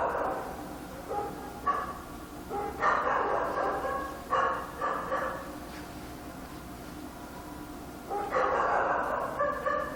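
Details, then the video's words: Nighttime barking of a dog in Korea, somewhat distant and muffled, coming in clustered runs of rapid barks separated by a quieter pause in the middle. "밤중에 개짓는 소리"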